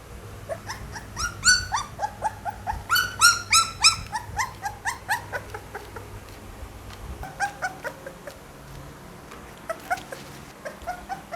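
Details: Pit Bull puppy calling indoors, a run of high, tonal whines and yelps repeated about three per second, loud at first then softer and shorter toward the end, over a low background hum.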